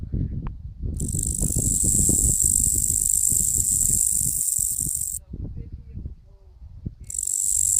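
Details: Locusts giving a strange sound: a steady, very high-pitched hissing buzz switches on after about one second and runs unbroken for four seconds, stops, then resumes near the end, over low rustling and thumping handling noise.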